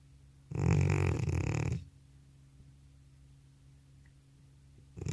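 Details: Elderly cat in a heavy sleep after a trip to the animal hospital snores once, a loud harsh rattle over a second long, then quiet indoor stillness with a faint steady hum.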